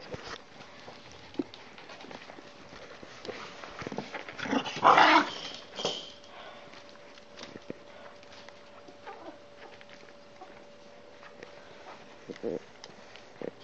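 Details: Maltipoo puppies; one loud, rough squeal-like burst in the middle, surrounded by quiet rustling and scattered clicks.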